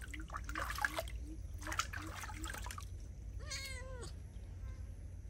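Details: Feral cat being bathed gives one drawn-out meow that rises and then falls, arriving late after splashing water and human speech.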